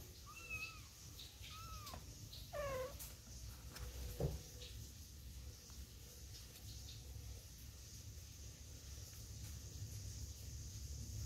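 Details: Kitten brought back in with its mother cat; a few short rising-falling mews in the first three seconds, then a faint thump and quiet room hum for the rest.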